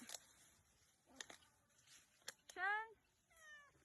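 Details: Domestic cat meowing indoors: after a few clicks and thumps, one loud rising-then-falling meow, followed by a second, softer and shorter meow; quiet room otherwise.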